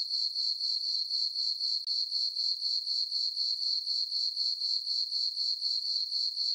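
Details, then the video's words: Crickets chirping on a peaceful summer night in a farm meadow under a full moon: a steady, high, ringing trill pulsing about four times per second, unbroken throughout, with no other sounds. "Cricket chirping sounds"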